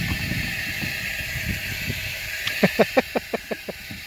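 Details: Pigs playing, heard as a quick run of about seven short, harmonic grunts in close succession over a steady background hiss.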